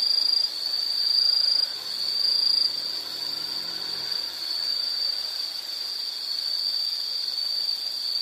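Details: An insect chorus holds a constant high, sizzling trill. The opening seconds are slightly choppier before the sound smooths into a continuous drone with gentle swells in loudness.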